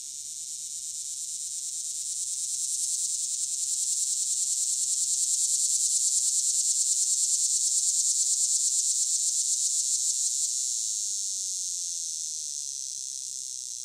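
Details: A male Linne's cicada (Neotibicen linnei), a common annual Midwest species in Illinois, sings a long, high, pulsing buzz. It is longer than the swamp cicada's song, with a wavering crescendo like a shaken salt shaker.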